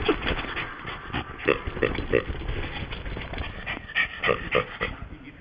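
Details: Pet Yorkshire Terrier going wild after its new noisy toy pig is snatched from it; short sharp barks and growls come in quick irregular bursts, roughly three or four a second, with faint voices nearby.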